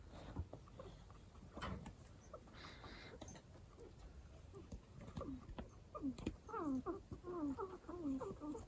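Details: {'caption': 'Pet guinea pig with an unusual voice: after several seconds of clicks and rustling, a run of short, falling, harmonic squeaks repeats roughly twice per second toward the end.'}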